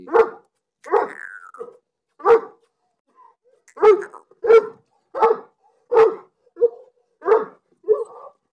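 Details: Pakistani Bully, a Bully Kutta dog, barking in a steady series: about eleven deep, hoarse barks, each short and evenly spaced roughly every 0.7 seconds, with quiet gaps between them.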